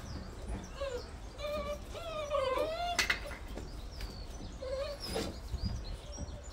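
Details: Newborn Bernese Mountain Dog puppies, September 2023, give high, thin whimpering squeals: a few short rising whines, then a longer wavering cry that dips and climbs, a sharp knock, and more brief squeaks against a low background rumble.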